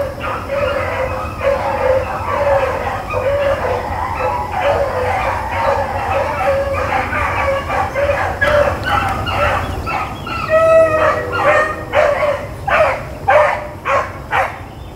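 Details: Blackcreek and Bluetick hounds chasing rabbits on April 4, 2013; long run of steady overlapping baying, turning into sharper, spaced barks toward the end, with a brief tonal sound midway and low rumble throughout.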